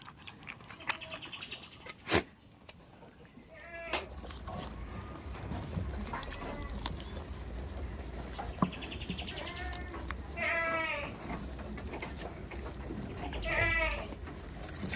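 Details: Goats on a village farm bleat in short, wavering, nasal bursts near four, ten and thirteen seconds. A sharp knock breaks in early, and thin, high, repeated chirping runs through the background.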